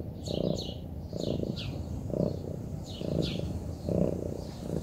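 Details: Relaxed Munchkin cat purring: rumbling pulses swell and fade in a slow breathing rhythm, about once a second, while small birds chirp lightly in the background.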